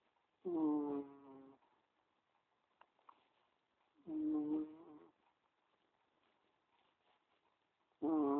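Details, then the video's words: A dozing cat gives humming, tonal snores that repeat roughly every three and a half seconds, each about a second long, in an otherwise quiet room. "Cheeky cat snoring"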